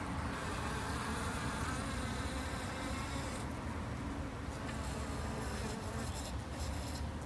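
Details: Garden-kept Japanese honey bees give off a continuous busy drone, many wings overlapping into an even low roar with fainter high hiss above.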